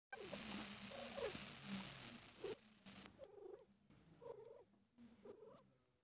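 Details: A female cat giving birth to four kittens and feeling pain: a steady low purr runs throughout, overlaid by short squeaky mews rising and falling, louder in the first half and fading toward the end.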